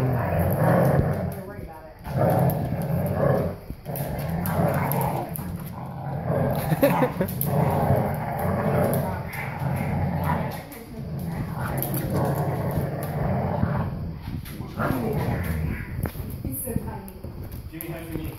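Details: A big English Cream Golden Retriever, four years old, tugs a rope toy against a puppy, producing a steady low rumbling growl broken by short pauses and snorts, while voices chat nearby.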